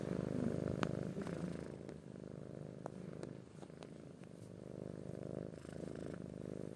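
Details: Persian-Siamese cross cat giving a soft, quieter purr, a low vibrating hum rising and falling with breathing, dotted with faint clicks.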